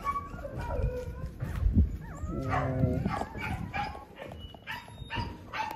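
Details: Mother dog crying in a cage after her three puppies fell out while the owner was away, then reunited with them; high whining whimpers and yelps with sliding tonal cries, some low rumbling and shuffling noise underneath.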